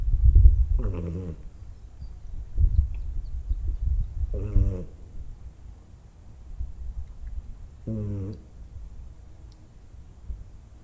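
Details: An old stray cat, sprawled out asleep, snores rather than purrs: three drawn-out, rasping snores with stacked tones, about every three and a half seconds, over a steady low rumble of breathing.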